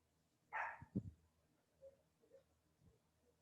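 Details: A domestic dog indoors lets out one sharp, loud bark, apparently barking at something; a few dull thumps and faint low murmurs follow against a steady indoor hum.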